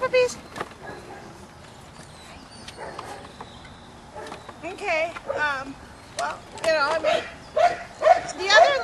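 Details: Seven-and-a-half-week-old Belgian Malinois puppies at play on a rubble pile with varied footing and obstacles, giving a rapid run of wavering, high-pitched yips and whines in the second half, with scuffling and soft voices early on.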